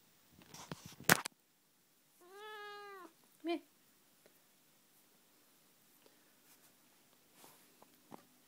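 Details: Noodles, a Tonkinese mother cat with her kittens, gives one clear drawn-out meow of about a second, arching slightly, followed by a brief chirp; a sharp clatter comes just before, and soft rustles follow in a quiet room.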